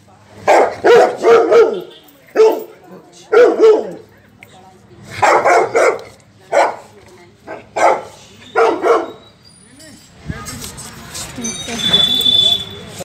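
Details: Saint Bernard dogs play fighting indoors. Bursts of rough, throaty barking and growling come in clusters, roughly two to three a second, with short pauses between rounds. A human voice and shuffling noise follow near the end.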